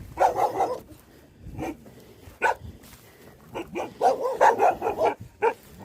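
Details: Livestock guardian dogs guarding a buffalo shed bark in irregular bursts, several rapid mid-pitched barks clustered at the start and again near the end, with short quieter gaps between volleys.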